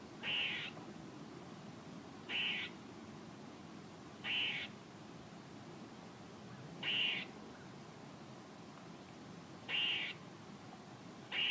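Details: A squirrel repeats a coarse, raspy call six times, each burst brief and harsh, at uneven gaps of two to three seconds against a quiet hissing background.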